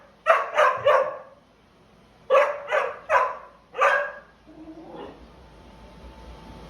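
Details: A dog barks in two quick bursts of three sharp, harsh barks, each burst about a second long with a pause between, followed by a low hum and faint background noise.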